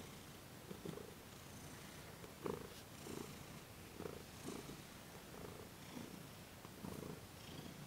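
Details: Thomas the cat purrs during a gentle massage and Reiki session in December 2021; a soft, low pulsing rumble rises and falls with each breath, roughly once per second and a half, with faint brushing sounds.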